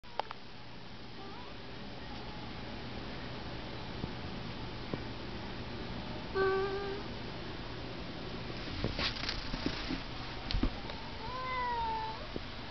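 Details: Pet cat Fiko, a chatty house cat, gives a short level meow near the middle, then a longer bent meow falling then rising toward the end, over a steady indoor hum with a few clicks and knocks.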